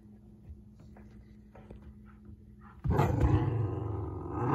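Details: A Pomsky puppy that has been chewing a wash cloth and running from its owner gives a sudden rough, rumbling growl in play after a quiet start.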